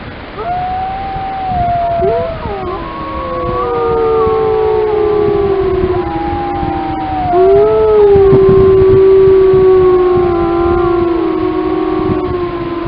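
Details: Lamar Canyon Pack grey wolves howling together in Yellowstone, a chorus of many overlapping voices: low sustained howls beneath rising, falling and wavering higher howls, building to a dense, continuous chorus.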